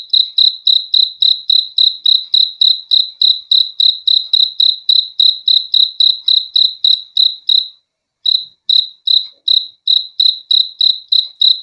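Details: Rapid high chirps from a cricket repeat about three times a second, then break off in a brief silence near the end before resuming at the same even pace.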